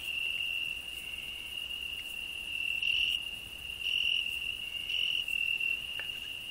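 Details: Cricket in a rose bush, alongside a grasshopper's song: a steady, piercing high-pitched trill that rises in loudness several times, with only a faint crackle underneath.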